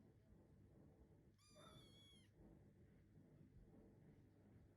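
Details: Munchkin kitten weighing 558 g, meowing while searching for its absent mother: a single high, clear, slightly wavering meow lasting about one second, over a low steady background hum.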